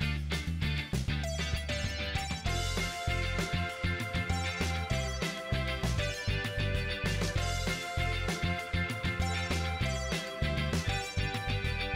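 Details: Upbeat funk-rock music with guitar riffs and a punchy rhythmic bass plays continuously, with no animal voice audible.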